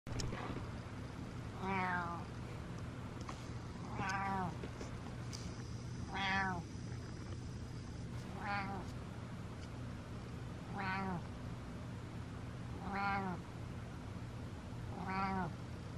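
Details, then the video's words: Butters the cat meowing repeatedly, seven harmonic, arching meows spaced roughly every two seconds over a steady low hum, each rising then falling in pitch. "Lot of Meows"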